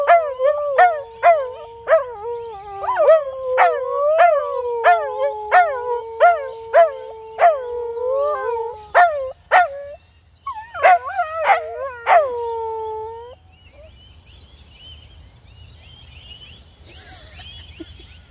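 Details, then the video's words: Two dogs, a Husky and a Corgi, howl together in a contest: sustained sliding howls punctuated by rapid sharp yips about every half second, fading after thirteen seconds into quiet background rumble and faint distant noises. "Husky and Corgi howling contest"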